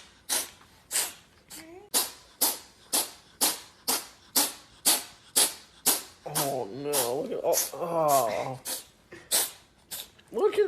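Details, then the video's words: Poptart, a rescued five-year-old pet cat at home in Selinsgrove, PA, in a rapid-fire sneezing fit after sniffing lunch: about sixteen sharp, breathy sneezes, roughly every 0.6 seconds, with a voice talking over the middle stretch. "Hilarious Cat Won't Stop Sneezing"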